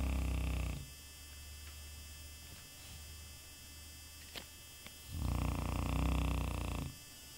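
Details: Shar Pei dog described as happy, snoring while asleep indoors: a low, rattling pulsed snore trailing off at the start, quiet breathing gap with a couple of soft clicks, then one full buzzy snore lasting nearly two seconds.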